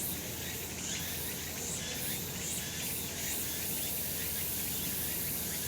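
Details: Cicadas calling on a sunlit summer mountain: a dense, steady high buzzing wash with faint rhythmic pulses shimmering over it, plus a low background rumble throughout.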